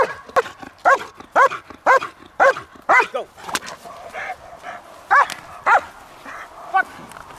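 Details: German Shepherd bred and trained at Kraftwerk K9 barking in quick bursts, about ten forceful barks with a short gap midway, plus a faint voice and light background noise.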